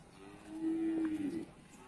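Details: Cattle at Pasar Wage Bumiayu, a livestock market in Indonesia, during unloading of animals: one steady, low, drawn-out moo lasting about a second, rising slightly then falling at the end, over a quiet background murmur.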